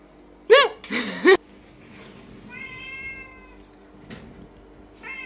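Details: Lynx point Siamese cat meowing loudly indoors while new toys and wet food are unpacked. Two sharp, strained meows come close together, followed by a softer, longer steady meow and a short one at the end.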